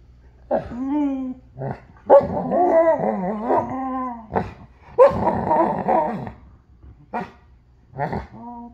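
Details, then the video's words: Alaskan Malamutes named Dutton and River, puppies, talking indoors: harmonic, rising-and-falling howling yodels and short barks in bursts, with grumbling growly stretches between and brief pauses. "Malamute Talk with Dutton and River"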